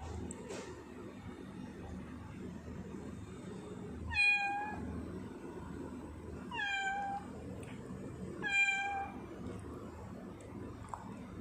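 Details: Sia, a pet tortoiseshell cat, recorded 10 November 2019: three clear harmonic meows about two seconds apart, each with a falling tail, over a low indoor hum.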